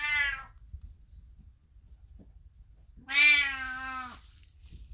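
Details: Calling to its passing owner from the neighbouring room, a 22-year-old cat gives a short meow tail, then after a pause a longer, loud, slightly falling harmonic meow of about a second and a half.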